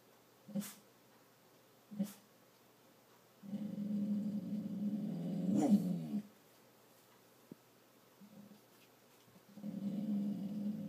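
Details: Indoor dog trying not to bark, giving low, rumbling growls: two short grunts, then a sustained growl of about three seconds, a pause, and another long low growl at the end in a quiet small room.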